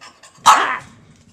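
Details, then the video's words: Foster dog giving a single loud, sharp bark indoors, with faint background noise before and after. "Rocket Racket"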